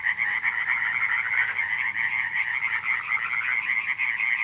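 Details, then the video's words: Short burst of a July night frog chorus at Radziszów, 2015: loud, dense overlapping croaks with a rippling, throbbing texture and a bright high band dominating. "nocne kumkanie żab"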